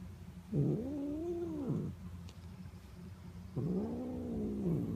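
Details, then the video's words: Pet cat Notail calls out as he is petted, giving two long, wavering, arched meows about three seconds apart, each swelling and then sliding down at the end, over a low background hum. "Notail makes sounds when I pet him"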